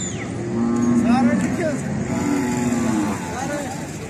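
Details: Cattle during mating, two drawn-out level moos, one near the first second and another around two and a half seconds, each with rich harmonics, over a constant engine-like hum.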